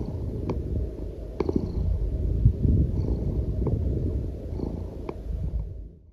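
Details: A Norwegian Forest Cat lounges on its owner and purrs contentedly in a steady, deep, low rumble, with a few soft clicks of handling.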